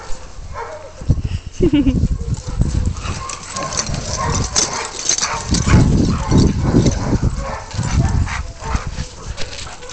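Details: Siberian Huskies named Zia, Zorra, Luna, Riggo and Olive at playtime, making rough growls, yips and short barks in overlapping bursts, with whines and voices mixed in.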